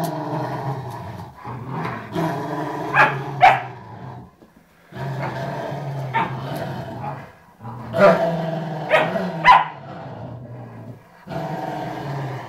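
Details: Pair of pet Rottweilers, 11 years and 3 months old, playing sweetly: three long bouts of throaty, harmonic growling separated by short pauses, punctuated by sharp snapping barks.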